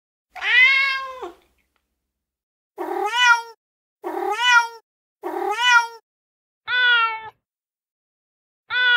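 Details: Male cat in heat giving five clear, tonal meows at uneven intervals, a long first one followed by a pause, then shorter meows that rise and drop, with no other sounds.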